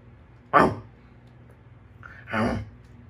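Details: Samoyed puppy named Milk, a female born 26 May 2020, on her first day in her new home, gives two short, sharp barks about two seconds apart, the second slightly longer, over a low steady background hum.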